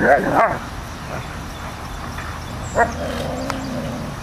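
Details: Airedale Terrier and Labrador, two dogs, playing against each other: a pair of short sharp barks at the start, a softer yelp near three seconds, then a low drawn-out whine over a steady background hiss.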